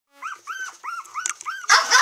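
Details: Female cream long-haired Miniature Dachshund puppy, 25 days old, born 17 August 2015, recorded 11 September in Kochi, Japan: five thin arched squealing whimpers in quick succession, each rising then falling, followed by a short harsh noisy rustle.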